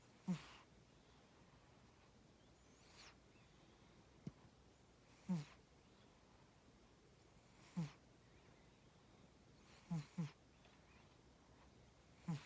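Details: Tora, a pet cat, snoring while asleep: short low rasping snores, each with a brief breathy hiss above, coming roughly every two to three seconds, six in all over a quiet background.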